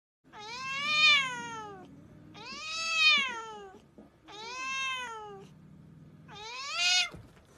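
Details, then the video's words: A very talkative pet cat indoors gives four loud, drawn-out meows about two seconds apart, each rising and then falling, rich and nasal. "very talkative cat"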